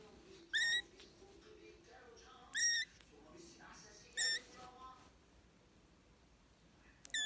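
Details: British and Scottish kittens calling: four loud, shrill mews, each slightly falling in pitch, spaced about every two seconds, with soft human voices murmuring between them indoors.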